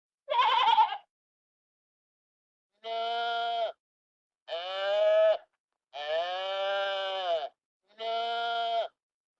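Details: Sheep at a farm: one short quavering bleat, a pause, then four longer steady bleats, each lasting about a second and coming in close succession.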